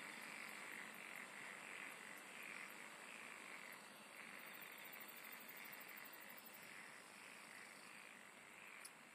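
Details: Steady insect chorus with a constant high shimmer and rough mid-range trilling, joined after four seconds by a rapid, evenly spaced high-pitched pulse series lasting about three seconds.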